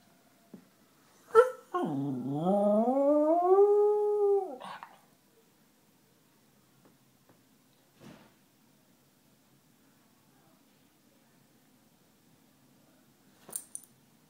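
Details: Three-year-old pet beagle singing along with a passing fire engine: a sharp yip, then a single rising, wavering howl lasting about three seconds, followed by quiet with a few faint clicks and a brief yelp at the end.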